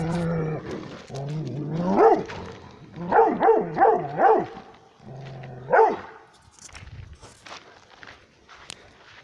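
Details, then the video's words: Male Rhodesian Ridgeback barking at something: one harmonic bark, then a quick run of four barks about a third of a second apart, a pause, and a final bark, with a steady low hum beneath. "1 male Rhodesian ridgeback barking"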